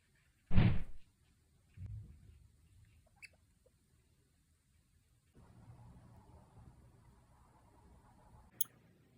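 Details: Two degus sneezing in sync: one sharp, loud burst near the start, then a softer second sneeze about a second later, followed by a few tiny clicks and a quiet room hiss.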